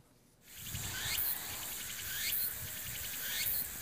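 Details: Walker's cicada recorded in 2012 on Ulleungdo island, its first record in Korean territory. The simpler island song is thought to have evolved with fewer competitors: a loud, buzzy, high-pitched rasp pulsing roughly once a second over a faint low rumble.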